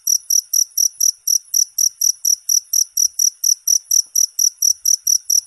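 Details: A cricket repeats short, shrill chirps at a brisk, even pace of about four per second, each pulse sharp and equal in loudness against a quiet background.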